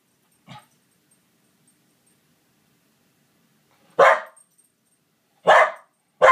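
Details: A Pembroke Welsh Corgi barking at a stuffed corgi toy on a bookshelf gives a soft huff, then three sharp, loud barks in quick succession.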